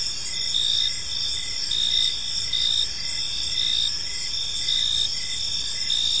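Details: Crickets in a peaceful park in the evening, a dense layered chorus of high chirping with steady trilling bands and brief pulsed bursts recurring roughly every second, over faint low background noise.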